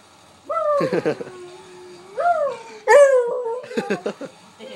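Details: Buddy, a pet dog excited by another dog, gives long whining calls that rise and bend, broken by short rough bark bursts.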